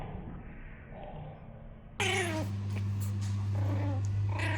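A Chihuahua puppy gives high, wavering whines and squeaky cries over a low steady hum.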